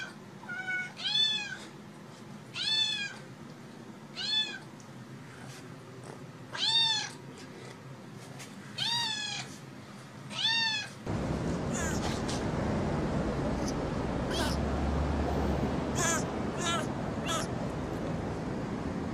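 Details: Kitten meowing for attention: seven rising-falling meows about every 1.5 seconds over the first eleven seconds, then steady broadband hiss with faint higher squeaks to the end.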